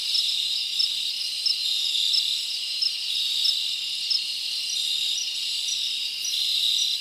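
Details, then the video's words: Crickets chirp through a summer forest night, a constant high trill layered with regular bright pulses about every two-thirds of a second, the chorus swelling and easing slightly. "Live Crickets Natural Sound"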